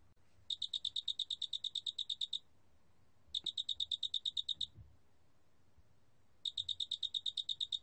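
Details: High, ringing pulse trains from a Loxoblemmus doenitzi cricket, a 2020 National Institute of Biological Resources recording: three bursts of rapid, evenly spaced chirps, each lasting one to two seconds, with quiet gaps between them and a faint background hiss.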